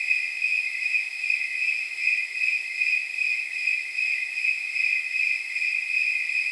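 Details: Snowy tree crickets on a night estimated at about 79 degrees, a steady high-pitched, jingling chorus with overlapping chirps pulsing roughly two to three times per second and faint higher insect bands above.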